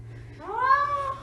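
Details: Domestic cat indoors giving a single drawn-out meow, rising then gently falling and fading, with a steady low hum underneath.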